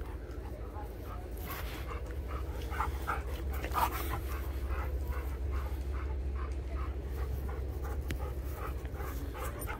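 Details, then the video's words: Rapid, breathy panting pulses, roughly three per second, from a young Sheepadoodle and an Old English Sheepdog playing together, over a steady low rumble with brief snorts mixed in. "Oliver still Loves to Play with his Best Friend, Bentley the Old English Sheepdog"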